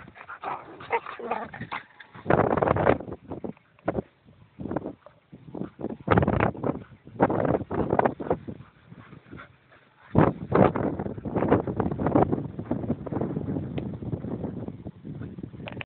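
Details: Emma, an Irish Terrier, and Karlson, two dogs at wild play: short barks, yips and whimpers in scattered bursts, with rough rustling noise and a long noisy stretch near the end.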